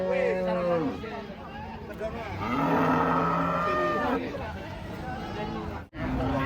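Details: Giant cattle coming down off a truck: a low harmonic moo at the start, then longer wavering lowing calls in the middle, with human voices and background bustle throughout.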